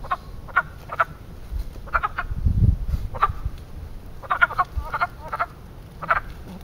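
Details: Spring frog chorus at a small man-made pond in Western Pennsylvania. Frogs are mating there, and their short, knocking croaks repeat in little clusters of two or three every second or so. A brief low thump sounds midway.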